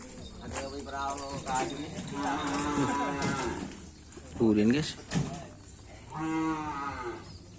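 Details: Cattle at a kerapan sapi bull race in Lapangan Asemanis: several overlapping harmonic moos, one low and wavering, others higher and drawn out, amid crowd chatter and outdoor noise.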